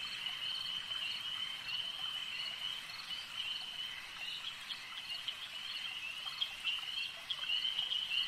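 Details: Frogs at a lake keep up a thick, buzzing chorus of fast, uneven croaks, roughly four per second, with the pulses growing louder and more distinct toward the end.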